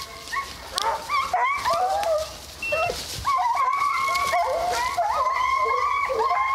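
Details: Hounds from HomeGrown Kennels chasing deer during a South Carolina deer hunt at St Helena: several dogs bay and yelp together in overlapping, wavering cries, rising and falling in quick irregular bursts.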